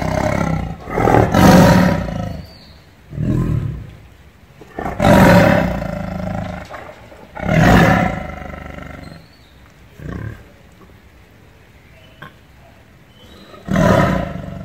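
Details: Tiger growling loudly: deep, rough roaring bursts about a second long, repeated irregularly with quieter rumbles between and a long pause before a final burst.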